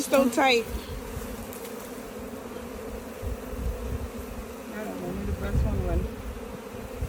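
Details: Buzzing of a captured bee swarm: a loud close buzz opens, then a steady, murmuring hum carries on with faint rising buzzes and low rumbling near the end.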